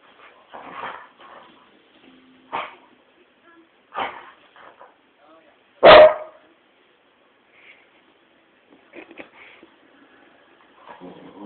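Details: Worked-up Tibetan terrier; scattered short yips and whines, then one sharp loud bark near the middle, with quieter sounds and faint voices around it.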